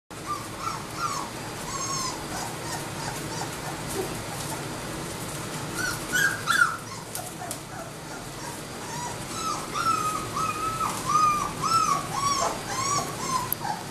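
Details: Labrador Retriever puppies whimpering and yipping in a chorus of short high arched cries, several overlapping, quieter early then denser in the second half.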